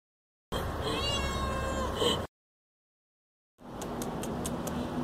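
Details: Cats relaxing on a calm, hot summer day, with a drawn-out, wavering meow over a low rumbling background, then a break of silence, followed by steady outdoor noise with faint ticking.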